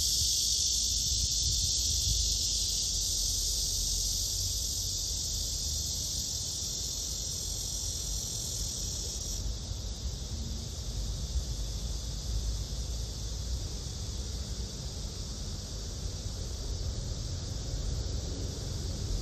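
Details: Black cicada, from a study of male and female: a loud hissing drone sounds for about nine seconds, then drops to a weaker steady buzz over low background rumble.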